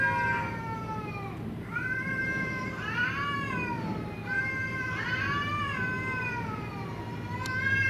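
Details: Cats in a quarrel, their cries growing pitiful as the dispute goes on: arching, bending yowls that swell and dip in pitch, several long wails with short gaps, low rumbling background noise.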